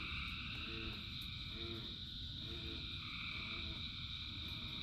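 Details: Frogs in the rain: short, low, twangy croaks repeat roughly every second over a steady high-pitched chorus of thousands of frogs, with continuous rain noise underneath.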